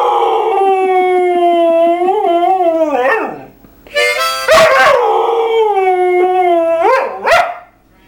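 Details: Mixed-breed dog singing the blues along with a harmonica: long wavering tonal howls sliding up and down, broken by sharp yips, over the reedy harmonica.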